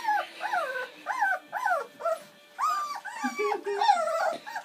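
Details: Bernese Mountain Dog puppies, a litter of seven born on Valentine's Day 2013, at their first feed on Mothering Sunday; arching, rising-then-falling whimpers in short bursts, with quiet human voices in the background.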